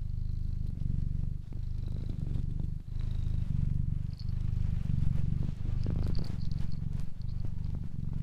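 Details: Deep, even cat purr in regular breath cycles of under a second each, with faint thin high chirping tones drifting in the background.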